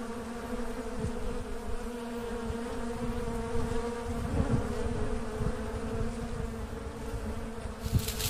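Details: Asian honey bees (Apis cerana) swarming as a colony splits naturally: a thick, unbroken low hum with a steady droning note, scattered soft thumps, and a sharp noisy burst near the end.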